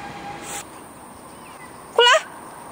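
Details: One of two domestic cats, Fengfeng and Huangxiaomi, walked in a garden in Beijing in the early morning of 13 August 2013; a single short, loud, bending meow with rich overtones cuts in after a quiet stretch of faint background hum.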